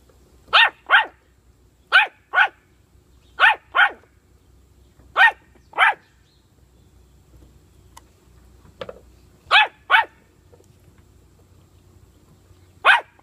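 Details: Puppy playing with bully sticks, giving sharp, high barks mostly in quick pairs, about ten in all, spaced a second or two apart, with one softer yelp midway and a quiet background.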